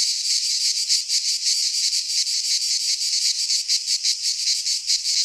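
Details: Cicadas singing in midsummer in a Greek pine forest: a dense, continuous buzzing chorus pulsing several times per second, strongest in the high range, with no other sounds.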